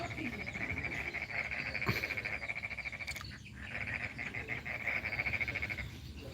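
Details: Frogs calling in the morning in the rural village of Kampung Baru Mangkupadi, North Kalimantan, an area under development: a near-continuous rapid pulsed croaking train, high and buzzy, briefly interrupted by a couple of knocks.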